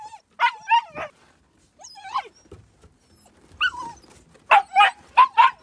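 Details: Gerberian Shepsky puppies, nine weeks old, playing outdoors on a sunny, brisk winter day; several short, high, yappy barks in bursts with pauses between, the last four quick and close together.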